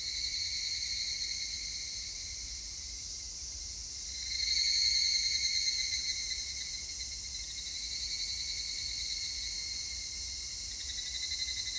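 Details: Higurashi cicada song from 3 August 2021: a constant high metallic chorus, with one nearer voice surging in at about four seconds in a bright, rapidly pulsing phrase that slowly fades back into the background.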